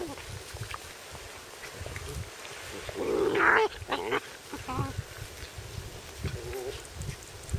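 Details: Cairn Terrier puppies, Lida's litter at seven weeks and Holly's at six weeks, playing together in a field on a sunny day; a loud yelp and a brief rising whine over wind rumble and outdoor noise.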